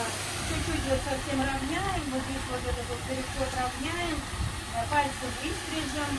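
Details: Little Spitz dog, muzzled after biting during grooming and very upset, whines in long wavering tones that rise and fall almost without pause, over a steady hiss and low machine hum.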